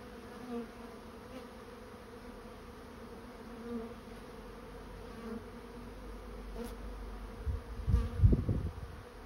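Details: Honey bee swarm moving into a swarm trap, its steady low hum pulsing gently, with loud rumbling bumps near the end.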